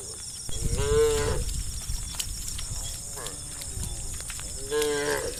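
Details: Tame cattle in a herd of hundreds running through rice fields into the forest in early morning; two harmonic moos near one and five seconds, with overlapping lowing in between and a low rumble of hooves and movement.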